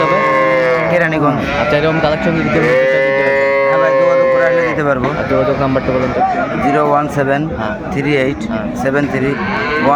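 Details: Cows with calves at Aftabganj cattle market in Dinajpur, recorded 25 May 2024; long, drawn-out lowing calls rise and hold steady in the middle, overlapping other bellows amid constant crowd chatter and talking.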